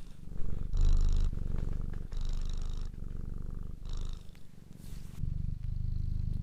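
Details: Cat purr, low and throbbing, the rumble pulsing in uneven breath phases of roughly a second each, with a brief higher breathy rush near the end and faint tonal overtones.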